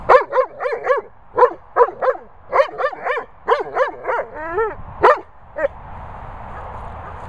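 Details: Bella Boo, a Weimaraner, warning off the Labrador Bernie over his ball with a fast run of about fourteen rising-and-falling whiny yelps. One wavering drawn-out moan comes near the end, then quiet.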